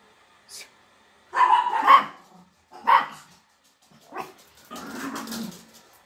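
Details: Rare blue-coated Miniature Pinscher, a pet dog, giving several short, sharp barks followed by a longer, rougher burst, with silent gaps between them and a person's voice nearby.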